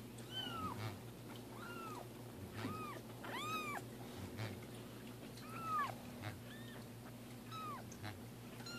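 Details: Two pet cats, Roger Taylor and Simon LeBon, during their first bath indoors: a rapid string of about ten arching meows, some overlapping, rising then dropping in pitch, over a steady low hum.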